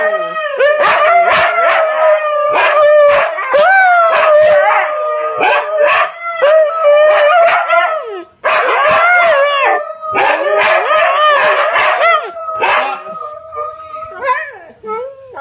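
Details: Siberian Huskies, three of them, howl loudly: long sliding tones with bending pitch mixed with quick yips and barks, one brief pause midway, fading toward the end.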